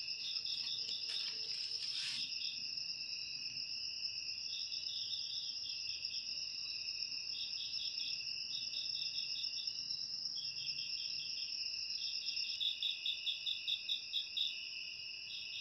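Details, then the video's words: Cricket chorus for repelling house rats: a brief rustling burst opens, then steady piercing trills carry on. Quick pulsed chirp phrases repeat every second or two, growing stronger and more regular toward the end. "Suara Jangkrik"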